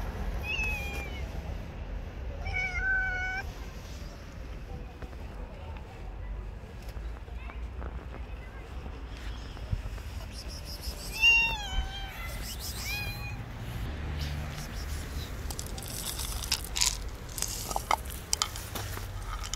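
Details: Stray cats living on the street, with several harmonic meows in the first few seconds and another cluster near the middle, over steady low traffic rumble and scattered clicks and rustles.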